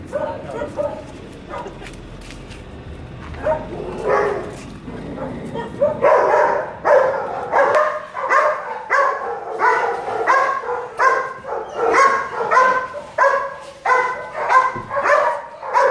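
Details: Belgian Malinois during a stud session at a home service in Caloocan City: low voices murmur for six seconds, then loud, harmonic barks repeat steadily, about one every two-thirds of a second, until the end.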